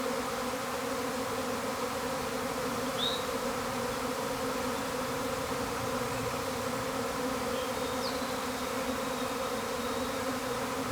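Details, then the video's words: Honey bees swarming at a hive that had already swarmed a week earlier: a steady, heavy buzzing roar holding at one pitch, with a couple of short bird chirps and a thin high whine late on. "Bee Hive Swarming"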